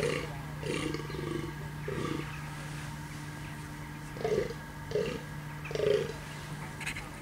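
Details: Deer roaring: a run of short, hoarse, low roars, about six bursts in seven seconds, the last three louder and closer together, over a steady low hum.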